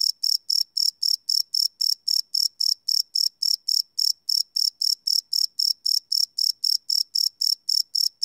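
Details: A cricket at night, field-recorded live on a Sony PCM D100, gives a rapid run of high, raspy chirps, close to four each second, evenly spaced and loud, nothing else audible.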